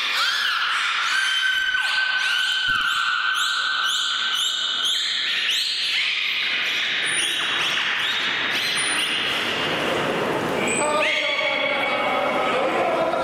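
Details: Whistles from Mirai-kun, a beluga, sounded from his blowhole in public training at Port of Nagoya Public Aquarium; rapid pulsed chirps give way to layered sustained whistles, several rising sharply, over a noisy indoor crowd.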